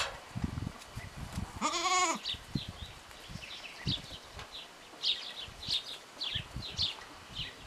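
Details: Three-day-old goat kid with malformed front legs, splinted with tubing and tape, in Parignargues, France; one short quavering bleat around 1.8 seconds amid handling noises and scattered high chirps from small birds.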